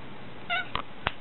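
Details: Domestic cat talking back indoors in a small room: one very short, clear harmonic mew lasting about a tenth of a second, followed by two sharp clicks against a quiet room hum.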